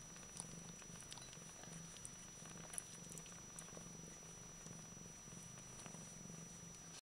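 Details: Bengal cat purring quietly: a steady, low, rumbling drone that continues for the full seven seconds with a soft pulsing texture, plus a few faint clicks and a thin high whine in a small indoor space.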